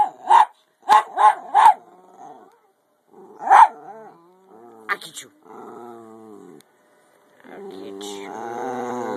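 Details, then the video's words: Playful 10 lb Jack Russell Terrier called Topper barks in a quick series of four sharp barks, pauses, barks again, then gives low whining growls and a drawn-out howl, with music faintly underneath. "Topper my 10lb Jack Russell Howling & Playing"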